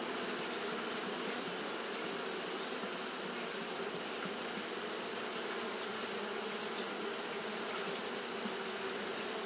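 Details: Continuous fanning by Japanese honey bees during hot weather: an even, thick drone of many wings that never pauses, with a steady high-pitched hiss layered above.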